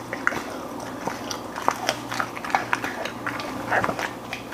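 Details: Golden Retriever indoors working through a meal of beef lung, chicken breast, sliced steak, duck heads, flying fish, vegetable jelly and freeze-dried food; sparse sharp bites and crunches scattered over a quiet low room hum.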